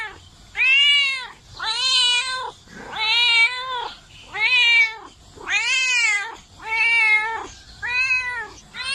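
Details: Domestic cat repeating clear, bright meows roughly every one and a half seconds, each a smooth arch rising and falling in pitch with strong upper harmonics, in a quiet setting.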